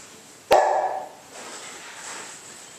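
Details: A single short, sharp dog bark bursts out abruptly, mid-pitched and lasting about half a second, then fades into quiet room hiss with no further calls.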